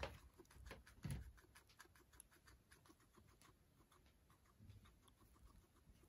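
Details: Guinea pig Pano, kept as a pet in Japan and fond of grassy vegetables, eating vegetables: soft, irregular crunching and clicking bites with one louder crunch near the start, in a quiet room.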